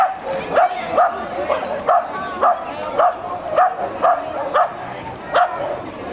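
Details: Tricolor Shetland Sheepdog barking at the De Biezen swimming pool in Laren on 9 September 2012: sharp, bright barks repeated roughly every half second in a steady run, with faint voices and echoing pool ambience behind.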